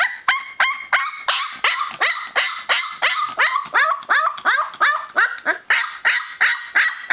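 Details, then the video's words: Young Newfoundland pup, twenty days old, complaining with a rhythmic chain of sharp yelping cries, about three per second, each a high squealing note that drops in pitch, growing more strained and wailing as it goes. "Newfoundland puppy making a noisy protest"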